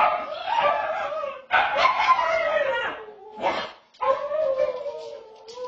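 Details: Zoe, a pet dog, caught howling on a home security camera: drawn-out, wavering howls with strong harmonics, broken into several long phrases separated by short gaps, the pitch sliding gently downward within each phrase.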